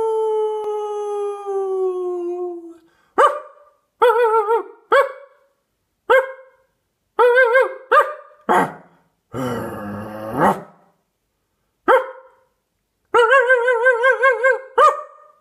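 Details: Dog barking loudly: a falling howl tail opens, then sharp separate barks every second or so, one rough growly burst, and a closing run of wavering yelps ending in a bark.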